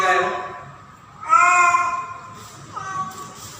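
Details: Female domestic cat named Pretty, in heat during mating season, calling for a male as she goes in and out; drawn-out, harmonic, wailing yowls, a short one at the start, a loud bending cry midway, then a softer rising one.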